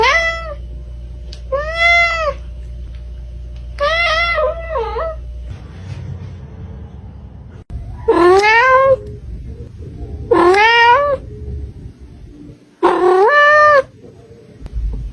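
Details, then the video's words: Kitten meowing repeatedly, six clear meows spaced about two seconds apart, the later ones louder and more insistent with rising-then-falling tone, over a steady low hum. "KITTEN SOUND EFFECTS | More than 50 kittens Meow Compilation part 1"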